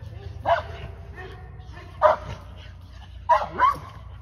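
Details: Aries, an English Mastiff, during a first training session: three short, sharp barks with yelping tops at roughly one-and-a-half-second gaps, the last a quick double, over a low steady hum.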